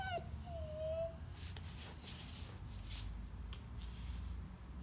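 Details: Irish Wolfhound puppy whining: a short, high, tonal whine with a slight drop, then a longer steady whine, followed by faint thin whistly notes over a constant low hum.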